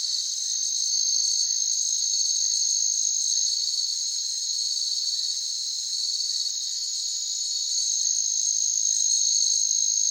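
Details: Cricket chorus as natural ambience, loud, shrill and continuous, with a rapid, slightly uneven pulse near four beats per second and a few brief clicks scattered on top.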